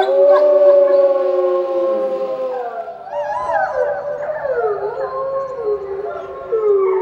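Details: Captive wolves in an eco-park chorusing: a long, smooth howl held then falling, overlapped by several wavering, rising and falling voices that weave together into a dense group howl.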